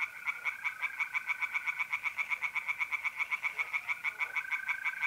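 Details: Pond chorus of tree frogs at night in mid-April, north-east Italy; fast, evenly spaced clicking croaks about ten per second overlap a continuous pure-toned trill of mole crickets.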